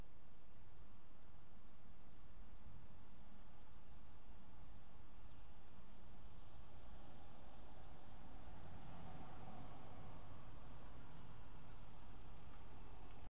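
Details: Right after the rainy season ended, evening cicadas chorus in an unusual overlap with a Japanese bush warbler; continuous shrill high ringing, with lower cicada phrases starting and stopping twice, and a quiet low background hum.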